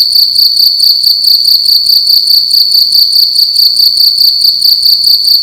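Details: Close, loud cricket chirping inside a room during the night, a bright high tone pulsing quickly and regularly about twice a second, with faint low room rumble beneath.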